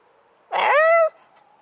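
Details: Black Shiba Inu out on a walk, howling in reaction to a passing police car siren: a single half-second harmonic howl that rises and then holds level, with a steady tonal siren note in the background.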